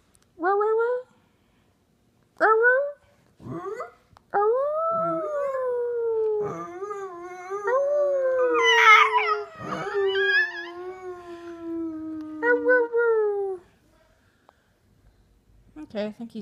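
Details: Chihuahua named Hercules howling: short rising yelps near the start, then a long sustained wavering howl sliding gently downward from about 4 to 13 seconds with tremolo, ending in brief yips; a few soft clicks and quiet noise between.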